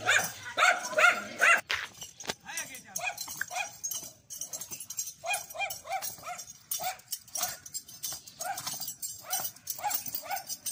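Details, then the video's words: Dog barking loudly at a dancing horse: short sharp barks repeated roughly twice a second in uneven runs, after an opening stretch of human voices and clatter. "Dog Barking loudly when Horse was dancing"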